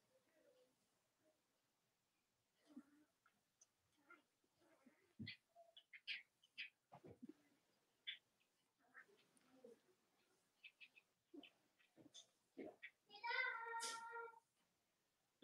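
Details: Cavalier King Charles Spaniel puppies from Robin and Myra's litters, on a chilly Monday morning in the US. Scattered short squeaks and clicks build to a loud, harmonic, whining squeal near the end.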